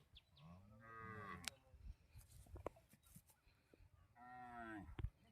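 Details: Umbalachery cattle in a pen during roping, linked to jallikattu bulls. Two drawn-out, rising-then-falling moos, the second about three seconds after the first, with men talking and clattering handling noises between them.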